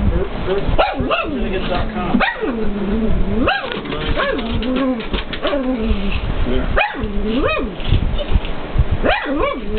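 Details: Pet pug barking at a television showing K911, giving a series of short, rising-and-falling howled barks every one to two seconds, some in quick pairs, over steady background sound from the TV.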